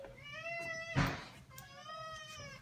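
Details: Two drawn-out meows from a Maine Coon asking to be let outside, each bending upward and sliding down, split by a sharp knock or thump in a small room.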